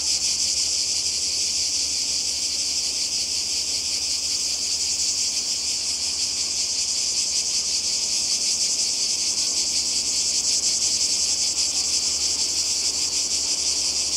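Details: Cicadas sing without pause beside the sea in Croatia, summer 2020, a loud, uniform high buzzing drone that holds steady for the whole stretch, lightly pulsing, with no other clear sounds.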